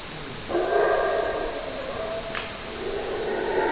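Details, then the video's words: ['Howler monkey roar starting abruptly and held for about three seconds, a rough, layered, guttural howl that dips slightly midway and swells again toward the end.'] "Howler Monkey Scary Sounds"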